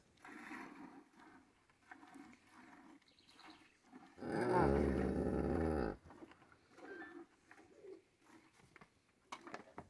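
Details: Cow in a corral during morning hand milking while calves suckle at their mothers' teats; a single long, deep droning moo of nearly two seconds stands out between softer rhythmic squirting and rustling sounds, with faint voices nearby.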